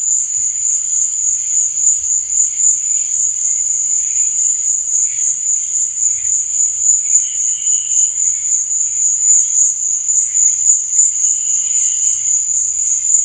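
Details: Night-time cricket chirping forms a dense, continuous shrill buzz at a single high pitch. Brief fainter tones rise beneath it around the middle and near the end.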